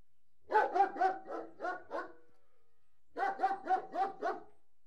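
A large German Shepherd Dog barks in two quick bursts of deep, rough woofs.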